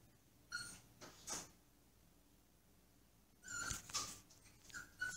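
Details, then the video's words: Caged Pomsky whining to be let out of its cage: faint, thin high-pitched whimpers in short bursts with a few clicks and rattles, quiet room background. "Sad Pomsky whining"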